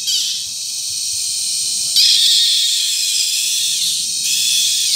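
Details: Loud mating calls of cicadas at Brgy. Balabag, La Carlota City, Negros Occidental, Philippines, during July 2020 cicada season: a shrill continuous buzz that jumps louder at two seconds and again near four seconds.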